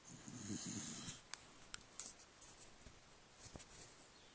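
A cocker spaniel gives one low, rumbling snore, followed by faint clicks and scratching sounds.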